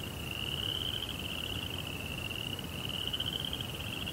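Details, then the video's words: Crickets at night in a Japanese Zen rock garden with a koi pond: a steady, high, pulsing trill holding one pitch for the whole stretch, over a soft low rumble. "Cricket Sounds"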